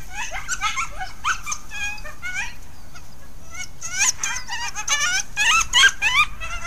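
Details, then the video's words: Wild coyotes at the Hallam Lake nature preserve interacting, recorded by trail camera: bursts of quavering yips and whimpering whines come in irregular clusters, several voices overlapping, with a steady high hiss behind. "Coyote Interaction at Hallam Lake"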